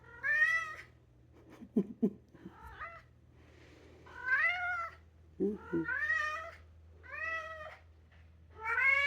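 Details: Singing, meowing two-year-old polydactyl Maine Coon cat in a room: a run of five or six long, wavering, arched meows in quick succession, mixed with a few short low sounds from a person and a constant low hum.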